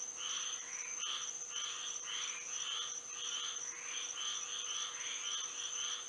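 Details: Florida frogs calling at night in moonlight: quick, regular chirping notes following one another almost without pause, bright and slightly rising, with a continuous thin high whine running underneath.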